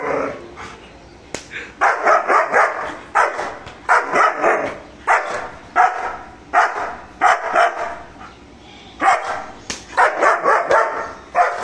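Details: German Shepherd named Mr. Bro guarding and barking aggressively: rapid, rough barks repeated about four per second in irregular runs, grouped into bursts separated by brief pauses.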